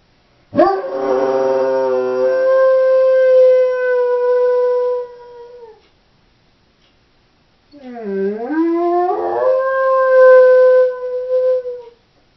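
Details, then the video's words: Left alone at home, a female Doberman howls twice: a long steady held note fading after five seconds, then after a pause a dipping, scooping start that climbs into a second sustained tone. "Howling Doberman"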